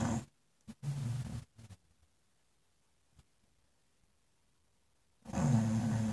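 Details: An English Bulldog sleeping in front of a fireplace snores in deep, rumbling breaths separated by long quiet pauses.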